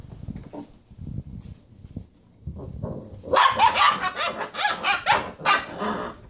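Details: Basset Hound puppies playing around a computer chair; quiet low rumbling at first, then from about three seconds a burst of rapid high yips and barks, several puppies calling over one another.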